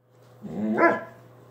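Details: Dog making one drawn-out, whiny yip that swells and falls over about half a second, set against a constant low electrical-sounding hum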